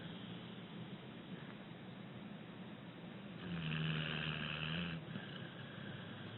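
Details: Abbie, a six-year-old rescued female American Pit Bull Terrier, sleeping and breathing gently; one low, rumbling snore lasting about a second and a half rises out of a steady soft hiss, then fades back to quiet breathing.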